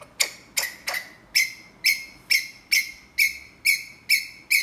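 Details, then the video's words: A ground squirrel calls for a mate with crisp, high chirps. Each note starts sharply and fades fast. About a dozen chirps come at a steady pace, roughly every 0.4 seconds, over a quiet background. "Tiếng gọi bạn tình tha thiết của Sóc đất"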